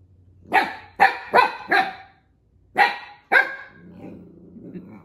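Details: Siberian Husky puppy barking at another puppy that took its toy, indoors at home; six sharp harmonic barks in two bursts, four then two, with a low rumble of movement at the end.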